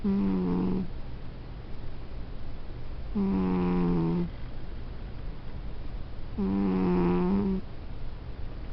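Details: A pet cat snoring indoors: three buzzy, droning breaths of about a second each, roughly every three seconds, low and steady with a slight downward sag.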